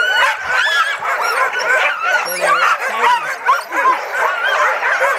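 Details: Crowd of sled dogs at Caribou Crossing yelping and yipping together in a fast, ragged stream of sharp barks and rising whines; a brief low voice cuts in near the middle.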